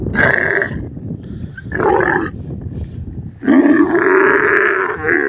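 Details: Desert camel giving harsh, gargling roars in three bursts, the last long and wavering, with farm background noise and a man speaking briefly afterward.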